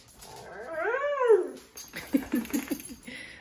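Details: Female pet dog crying as her owner is about to leave; a single drawn-out whine arcs up and falls back over about a second, then the owner's voice speaks reassuringly.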